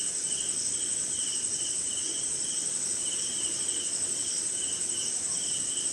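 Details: Rainy-night insect chorus from forest somewhere in India, led by crickets: a continuous piercing high hum with rhythmic bursts of lower chirps in short groups, rain hissing faintly underneath.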